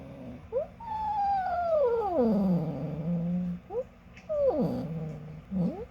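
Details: Female house cat calling when she wants something, a long descending whine that drops into a low, throaty hold, followed by short rising chirps and another falling meow.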